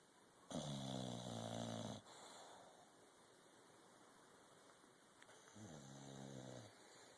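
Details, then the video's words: Sleeping English Bulldog snoring: a loud, throaty, buzzing snore lasting about a second and a half, a long quieter exhale, then a second softer snore near the end; low room hum throughout. "English Bulldog sleeping and snoring."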